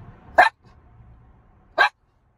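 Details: Ginger, a miniature schnauzer waiting in the car, gives two sharp, short barks about one and a half seconds apart, with a faint low rumble between them.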